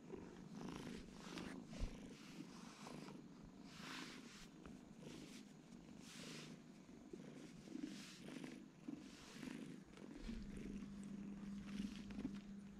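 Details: Twin kittens sleeping together, purring softly: a continuous low, rough rumble with faint pulsing throughout, plus occasional soft rustles and a quiet background hum.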